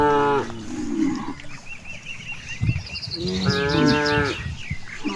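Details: Cattle grazing in a vast rice field: one moo ending at the start, then a second long, rich harmonic moo, with bird chirps and rustling grass between calls.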